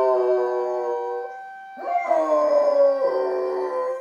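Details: Young female dog howling from a window along with the Saturday morning town alarm siren test; a sustained, layered howl fades, then a louder wavering howl rises again alongside a steady siren tone.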